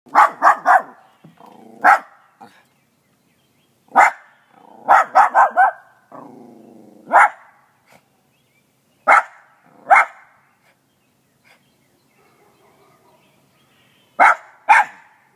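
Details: Small dog with a big voice barking loudly in short bursts, often quick runs of three sharp barks, with softer whiny, growling sounds between the bursts and long quiet gaps.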